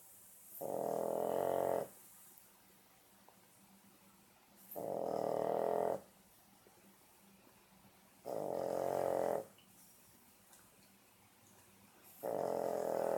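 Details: French Bulldog puppy, 14 weeks old, snoring in sleep, recorded 1 March 2014: soft, rasping snores about a second long, repeating roughly every three and a half seconds, with quiet breathing between.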